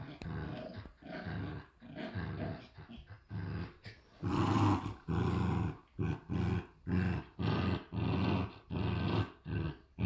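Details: Two Shiba Inu puppies growling like little motors during play: low rumbling growls in rapid pulsed bursts, rising in loudness midway, with short breathy noises, faint music and laughter.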